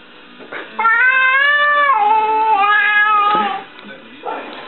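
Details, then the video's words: Domestic cat from a funny compilation giving one long drawn-out meow, harmonic and wavering, lasting nearly three seconds, with a short noisy sound just before and after it. "FUNNIEST CATS and KITTENS meowing"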